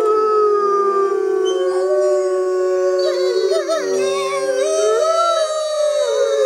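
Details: Six Arctic wolves howl together in a chorus, several overlapping sustained tones around a steady mid pitch, some voices sliding and wavering, others rising and bending above, forming a dense continuous layered howl.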